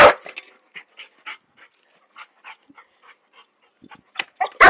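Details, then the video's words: Puppy walking around a lake in Hamilton, New Zealand, reacting to gardeners shovelling sand, which it dislikes; short spaced barks and yips, with louder sharp bursts at the start and end. "My crazy dog HATES the shovel!"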